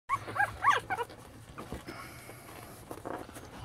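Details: Newborn Lhasa Apso puppies from a litter of eight born January 8th, giving a few short high squeaky cries at the start, then quieter rustling and a low hum.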